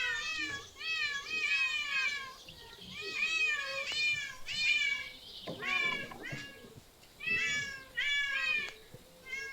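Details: Meows from street, park and zoo cats come in short bursts of several quick, rising-falling calls, separated by gaps of a second or two, with a harsher burst near the middle.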